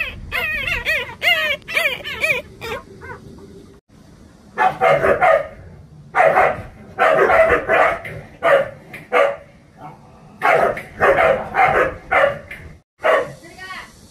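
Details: Young Jindo brothers, around 187 days old, first let out wavering high whines, then a series of short, rough bark-like bursts in uneven clusters separated by brief pauses.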